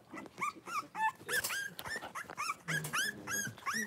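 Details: Litter of five Blenheim Cavalier King Charles Spaniel puppies, born at New Year, with mother Paris in an indoor puppy pen: rapid run of high, arching squeals and yelps, several each second, some with harsh edges.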